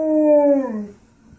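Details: Alaskan Malamute howling to get its owner to play, one loud, smooth, tonal howl that holds steady and then slides downward as it fades away.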